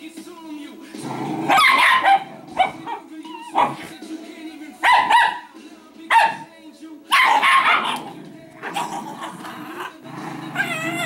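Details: Two Italian Greyhounds, Speckle and Shimmer, play fighting over a tug-of-war toy; bursts of sharp barks and yips come in clusters, overlapping with a talking voice and a steady low background drone.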